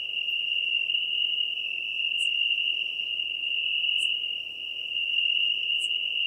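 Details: Steady, unbroken high trill of a European tree cricket in Venice, Italy, 2 September 2021, with a noisy hiss beneath it and three faint, sharp ticks spaced a couple of seconds apart.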